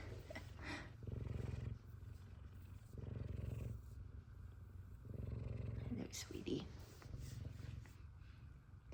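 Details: F2 Savannah cat purring, happy to see its owner. Low, fluttering rumble comes in waves about a second long, alternating with quieter breaths, with a couple of faint squeaky sounds midway.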